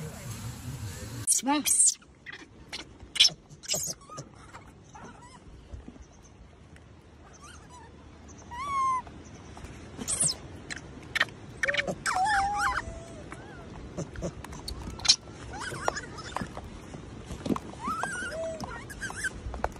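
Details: Baby macaque abandoned by its mother, lying on the ground and crying: thin, tonal wavering cries rise and fall in short bursts, mixed with sharp clicks, rustling and people talking nearby.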